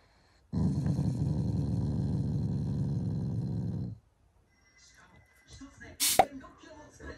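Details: Growling Shiba Inu, not angry but showing affection to its owners in the morning: one long, steady, low rumbling growl lasting about three and a half seconds, followed by quiet room sounds and a sharp knock.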